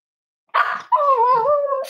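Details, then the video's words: Cozy Cavalier King Charles Spaniel puppy snuggling on a warm Friday morning in a home raising emotional support dogs; a brief rough yelp, then a sustained wavering whine lasting about a second. "Cavalier Puppy Livestream: Cozy Cavaliers Love to Snuggle"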